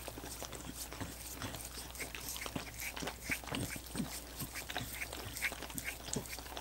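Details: Dogs licking frozen coconut water popsicles: continuous wet smacking and slurping clicks, soft and steady, with a low steady hum underneath and no talking.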